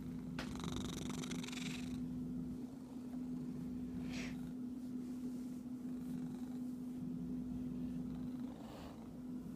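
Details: An itchy domestic cat purrs in a steady low rumble throughout, with a burst of broadband scratching or rustling early on, brief scuffs near the middle and end, and a constant electrical hum beneath.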